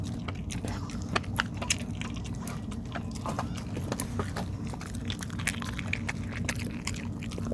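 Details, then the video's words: Dog eating rice cake (tteok), steady sticky chewing and biting with sharp clicky crunches scattered throughout, over a constant low room hum. "개가 떡먹는소리"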